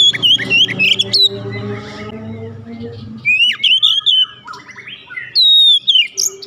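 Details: Oriental magpie-robin kept at home delivers bright whistled, warbling phrases in three bursts, with a steady low droning hum in the background during the first half.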